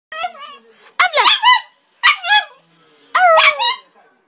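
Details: Vito, a West Highland White Terrier, 'talking': four short whiny, yodel-like vocal bursts that waver up and down in pitch, separated by brief pauses, with a person's voice nearby.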